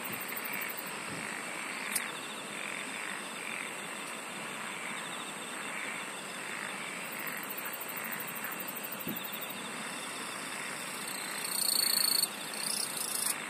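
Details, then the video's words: Insects singing together in an even, rhythmic chorus of about four pulses a second, high rapid trills coming and going, and a louder whistled note swelling briefly near the end. "SINGING OF INSECTS"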